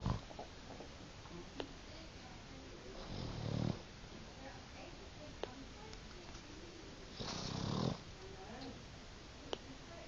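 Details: Boston Terrier fast asleep, snoring indoors: two rough, breathy snores about four seconds apart, each lasting under a second and rising in loudness, with quiet room noise and faint clicks between them.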